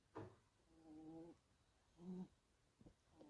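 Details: Sleeping Scottish Fold kitten snoring softly indoors: a drawn-out low humming breath with faint overtones, then a shorter one a second later, with brief clicks between the quiet breaths.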